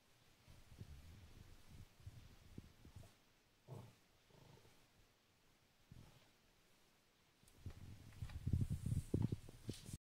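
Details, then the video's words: Cavalier King Charles Spaniel growling indoors at belts hanging on a door, perhaps taken for snakes; low rumbling growls come in soft pulsing bouts with pauses, then swell into a louder, rasping, rapidly pulsed burst near the end. "Dog growling Cavalier King Charles Spaniel"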